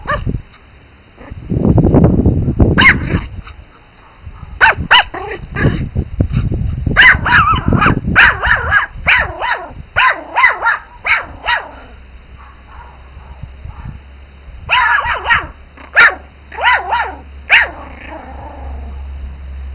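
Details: Spitz Pomeranian puppies barking in short, high, sharp yaps in irregular bursts, with a low rumbling noise early on and a steady hum underneath.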